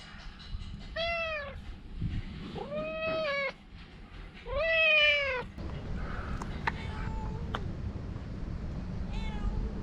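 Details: Talkative stray cat giving three strong, drawn-out falling meows about two seconds apart, then faint thin mews later, over steady low background noise with a few clicks.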